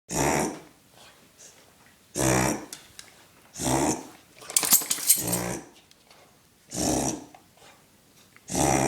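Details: Pet dog indoors doing a reverse sneeze that sounds like a rhino: loud, harsh snorting gasps about every two seconds, with quieter snuffling between bursts.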